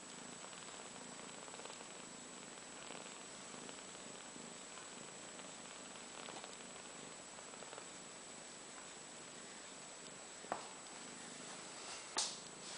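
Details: A litter of 12-day-old British Shorthair kittens purring together with their mother, a soft continuous rumble under a steady hiss.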